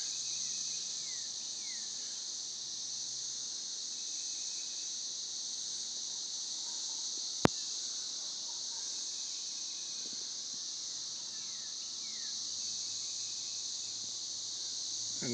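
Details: Seventeen-year cicadas in Northern Kentucky, not especially loud on this property: a constant high-pitched buzzing wall of sound, faint bird chirps underneath, and one sharp click midway.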